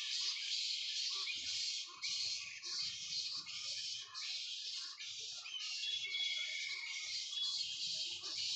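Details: Hundreds of bats roosting in mahogany trees at a bat sanctuary in the morning fill the air with a dense, continuous wash of shrill squeaks and chatter in a calm setting, with two kites perched above.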